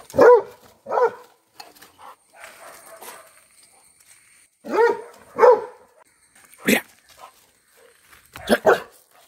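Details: Labrador Retriever barking at a cow in a series of sharp, harsh woofs, some in quick pairs, spread over about nine seconds, with quiet shuffling between them.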